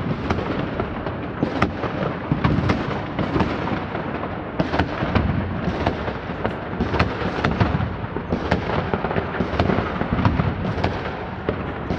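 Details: New Year 2023 fireworks over Rzeszów fill the clip: dense rolling booms and sharp crackling bursts, with no dog or other animal sound.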